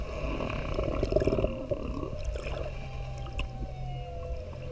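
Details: Underwater sounds of a humpback whale mother drifting toward the surface with her bubbling calf. A low, pulsed rumble swells near the one-second mark, while faint, steady tonal notes from distantly singing whales hang above the watery hiss.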